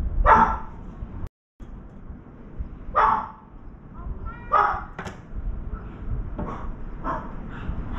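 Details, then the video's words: Dog barking near a veranda while a round-foreheaded crow sits on the left side; three loud, harsh barks spaced about one and a half seconds apart, then softer yips, over a steady low background hiss. "강아지 짓는 소리"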